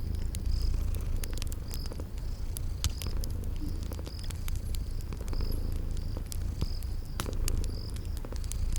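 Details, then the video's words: Cute kittens asleep by a fireplace, purring in a cozy spring garden setting; continuous deep purring rumble overlaid with irregular fire crackles and regularly spaced thin high chirps. "Sleeping Purring Kitties"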